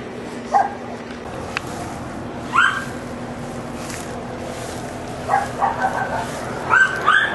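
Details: Neighbour's dogs barking at a distance: a few scattered, thin, high barks and short yaps separated by pauses, over a steady low background hum.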